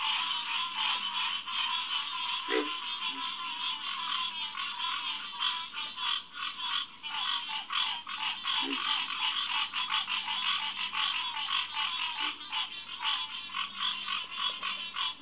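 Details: Night chorus of many green tree frogs, Hyla cinerea, at a refuge pond on June 2, 2021: sustained overlapping nasal honking that grows denser toward the end, punctuated by a few low grunting croaks.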